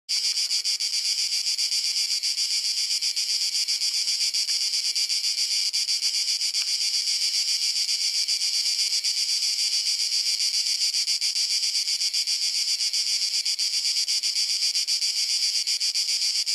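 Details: Cicadas in summer in Croatia sing a loud, unbroken, shrill buzz that holds steady without pause.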